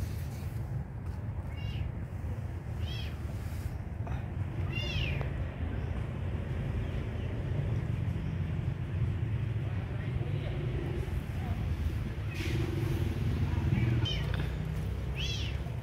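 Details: Kitten meowing while being fed, thin high arched cries repeated every second or two, louder near the fifth and fourteenth seconds, over a constant low rumble.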